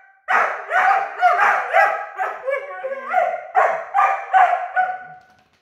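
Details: Two nine-month-old Weimaraner puppies arguing with each other: a rapid string of about ten harmonic, yowling bark-whines, each rising then falling, crowded together over five seconds with no pause until the end.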